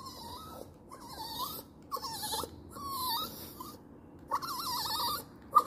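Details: Crying dog: drawn-out, quavering high whines, several in a row, the last one wobbling up and down before a sharp short yelp at the end.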